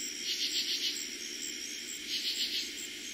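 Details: Katydids singing at night in early summer 2021 in eastern Pennsylvania: two short raspy bursts of three to four pulses each, high-pitched and scratchy, over a steady shrill cricket chorus.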